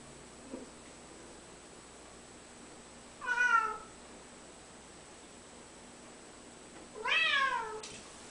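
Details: Male domestic cat meowing while hesitating over a jump as people urge him on: two loud, drawn-out harmonic meows about four seconds apart, each rising briefly and then sliding down, against a quiet background.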